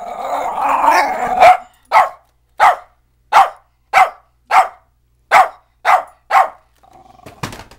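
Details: Domestic dog arguing with a vacuum cleaner: a sustained rumbling growl-whine, followed by a steady series of about nine short punchy barks, then a quieter clattering sound at the end.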